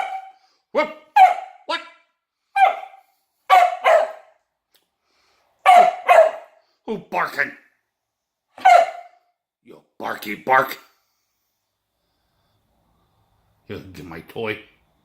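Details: Female Kelpie dog barking while playing with a toy indoors, sharp single and double barks in irregular bursts, with a few strained, whiny barks near the end and gaps of silence between.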